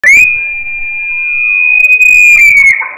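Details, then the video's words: Female Bradypus sloth in heat screaming, captured close with an audio recorder: one loud, shrill, steady whistled note held level for nearly three seconds, rising at the start and dropping slightly at the end. "Female Bradypus Sloth Mating Call"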